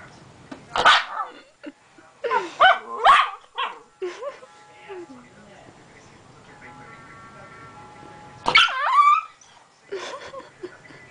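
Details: A Yorkshire terrier barking at a blow dryer: sharp, high yaps in a quick cluster over the first few seconds, a lull, then another burst of yapping near the end, over a steady mechanical whine and a person's voice.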